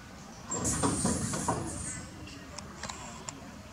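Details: Baby monkey crying loudly for milk while its tired old mother feeds it: a shrill, thin, sustained squeal lasting over a second, followed by a few short sharp chirps, over a steady low rumble like traffic.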